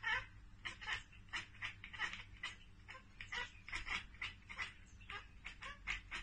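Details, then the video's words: Pet cat chattering at a bird or insect it cannot get to, producing a steady series of rapid, clipped ek-ek bursts, roughly two to three per second, with a faint background hum. "Cats Ekekekeke Compilation - Cats chattering at birds!"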